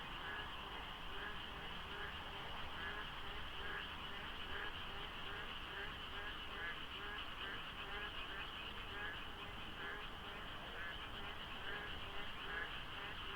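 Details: Pre-dawn frog chorus near Deokso IC on a Korean expressway during the rainy season, light fog, sparse traffic; countless frogs, or a few overlapping, give rhythmic pulsed croaks about once a second in layered rows, unbroken throughout.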